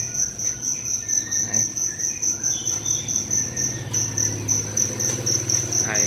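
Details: Field cricket, a fire cricket, that came into a house in a city in Vietnam early in the morning, calling loudly from a crevice: steady, rapid, high pulsed chirps repeating about twice a second, with a low hum and a man speaking briefly.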